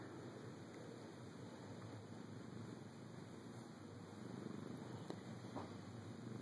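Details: Drowsy pet cat purring during a mid-morning nap in a dark bedroom, disturbed by a camera; faint, steady, low continuous purr in a quiet indoor room.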